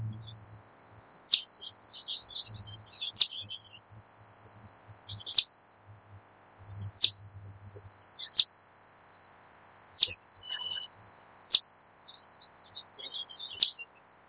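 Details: A wild chipmunk calls in a steady series of eight sharp, high chips, roughly every one and a half to two seconds. Faint bird chatter fills the high background, and a low hum is heard early on.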